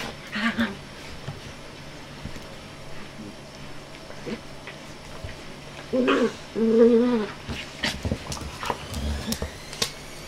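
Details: Five-month-old puppy Jessie during playtime, giving a pair of low, tonal growl-whines over about a second, then quieter scattered yelps and bumps against a hum and background hiss.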